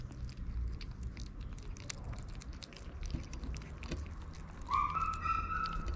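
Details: Hungry stray kittens waiting for their mother's return and wanting to eat; near the end one clear, drawn-out mew that rises then levels off, over earlier chewing and scratching noises.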